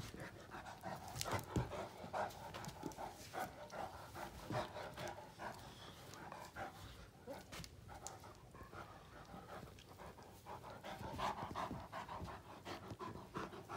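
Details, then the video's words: Great Danes Finn and Magic, two male dogs, play mouth fighting until tired: steady rapid panting with intermittent grumbling vocal sounds and scuffles throughout, loudness rising and falling. "Great Danes Mouth Fighting"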